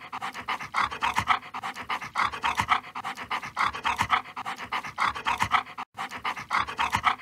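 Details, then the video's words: Siberian Husky eating while it pants. Fast, airy breaths come in even clusters, broken by one brief silent gap late in the recording, and otherwise continuous. "Siberian Husky, 댕댕이 소리, 개짖는 소리"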